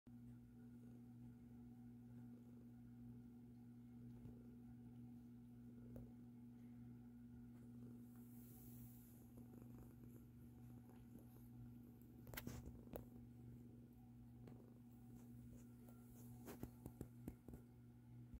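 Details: Indoor cat, one of a mother and her two-year-old grown kitten, purring as it is touched in a favoured spot: a soft, low, continuous rumble that stays steady throughout, with occasional faint clicks and rustles.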